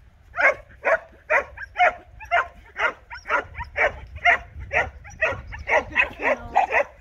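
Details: Border Collie named Patch, from the Agilepaws breeding kennel, barking while herding in a creeping stalk; about sixteen sharp barks in seven seconds, fired at a quick, fairly even pace with brief gaps between.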